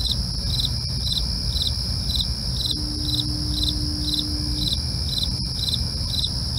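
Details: Crickets at night keep up regular chirps about every half second above a continuous high trill. A low steady hum rises briefly midway, with rumbling low noise beneath.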